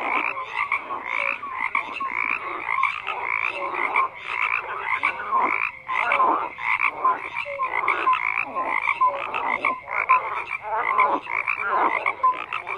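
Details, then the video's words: Dense chorus of frogs croaking without pause, overlapping rasping pulses and short tonal notes layered thickly, no gaps, no other sounds heard. "FROGS CROAKING"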